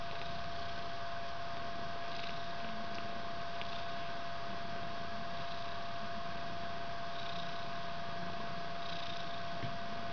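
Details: Mother cat Ellis and her fluffy white three-week-old kitten purring together in a bedroom as the kitten climbs on her; continuous low throbbing rumble with a steady background hum and soft shuffling sounds.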